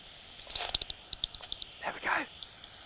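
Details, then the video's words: Common pipistrelle echolocation picked up by a bat detector at dusk as darkness falls, likely this species because it registers at about 45 kHz. The bat hunts near moths, heard as a rapid, uneven run of dry clicks, then a brief human voice. "Most likely a common pipistrelle, because we've got it at about 45 kilohertz."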